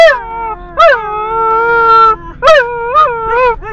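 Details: A Border Collie sings in drawn-out, steady-pitched howls that rise at the start, followed by shorter looping wails that dip and climb again.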